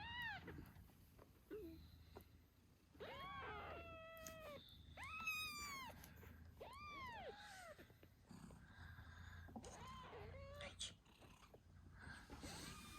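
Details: Eight-day-old British Shorthair kittens with their nursing mother Moon Stone squeak and meow repeatedly, each cry a bright rising-then-falling wail, several overlapping in close succession against a faint low hum.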